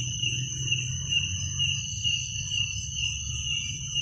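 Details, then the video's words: Crickets at night produce a dense, even high-pitched trill with an upper overtone, steady in loudness, over a low droning background. "Suara jangkrik pada malam hari"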